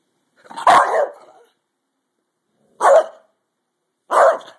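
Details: Pet dog during a fight, giving three harsh, noisy barks spaced about one and a half seconds apart, the first longer and trailing into a growl.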